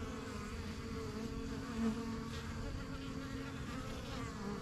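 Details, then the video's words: Honey bees at a backyard yellow hive, the strongest of a first few hives begun in spring 2023, flying in and out while learning the area; a steady low droning hum with overtones, one brief louder swell of a passing bee near mid-clip. "BUSY BEE HIVE AMBIENCE"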